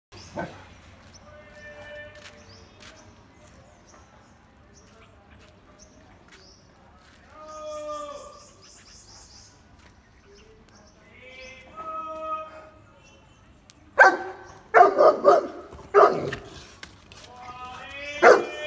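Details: Saint Bernard puppy giving a few tonal, rising-and-falling whines spaced several seconds apart, then a run of short, sharp, rough barks and yelps near the end over a quiet room background.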